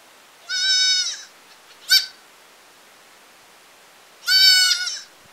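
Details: Village goat giving two high nasal bleats about four seconds apart, with a brief sharp cry between them; otherwise quiet.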